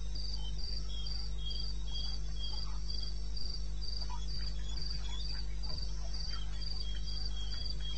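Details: Eastern Botswana wilderness at 02:30 on 21 May 2016, crickets calling: bright, thin chirps in a regular train of roughly four per second, joined by a softer lower chirper, all over an unbroken deep hum.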